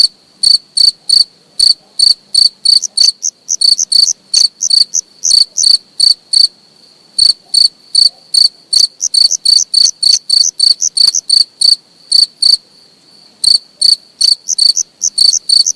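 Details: Long run of close cricket chirping: bright, high-pitched pulses repeated quickly and evenly, pausing briefly near six and thirteen seconds, with nothing else audible.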